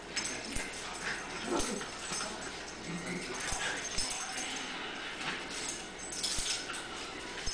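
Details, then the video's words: Tango and Mambo, two sister dogs recently rescued from a puppy mill, playing together; soft whimpers and scuffling play noises come in short bursts over a constant hiss, with scattered sharp clicks. "Tango and Mambo playing together"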